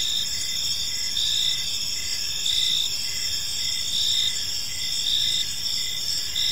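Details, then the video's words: Crickets chirping on an evening in a peaceful park: a dense high-pitched chorus of steady trilling layers with pulsed chirps repeating roughly every second, over a soft low hum of background noise. "Cricket Sounds in a Peaceful Park"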